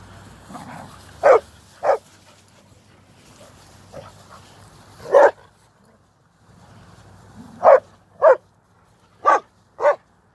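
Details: Two Old English Sheepdog twins barking while trying to annoy another dog named Bubbles: short, sharp single barks spaced irregularly, some in quick pairs, about eight in all, with quiet rustling and soft breathing between them.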